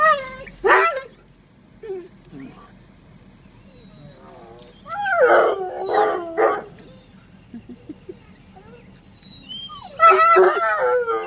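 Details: Bloodhounds greet their owner arriving home by car after only an hour away with loud, wavering howls and yelps in bursts.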